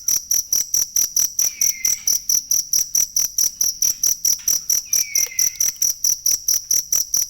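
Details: Chirping cricket, recorded as tutor sound for songbirds, pulsing evenly at roughly two and a quarter beats per second in a shrill metallic tone; two soft descending whistles slide beneath it.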